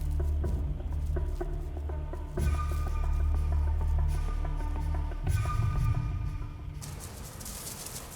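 Background music with steady percussion and tonal notes plays throughout, with no animal voice heard.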